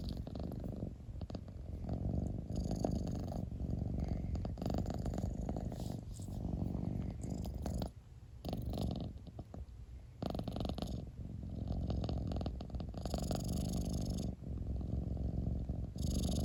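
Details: Domestic cat purring up close, a deep continuous rumbling throb that swells and fades with each breath, briefly dropping away near the middle before resuming just as strongly.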